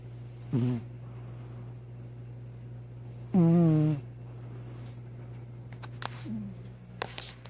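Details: Troy, a sleeping pet cat, lets out a short snort and then a fuller, nasal, whistling snore; soft clicks and a faint hum fill the rest of the room.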